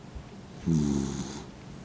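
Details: A single drawn-out, throaty snore, buzzing and slightly wavering, from Mint, an elderly blind dog of fifteen dozing with eyes half shut.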